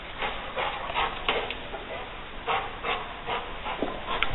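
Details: Leo, a Rottweiler, confronting a gray squirrel intruder that he finally evicts through an open window; short rough bark-like bursts repeat roughly twice a second over a steady background hum.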